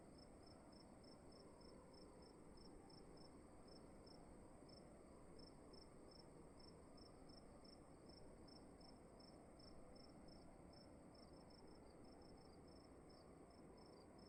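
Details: Indoor cricket song in an otherwise empty-sounding room, a regular train of bright high chirps, with a brief burst of quicker chirps near the end, over a low, even background hum.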